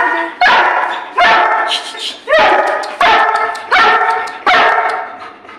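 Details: Playful pet Labrador Retriever named Goku barking during mischievous play, six loud harmonic barks spaced under a second apart, each fading slowly, with faint background speech.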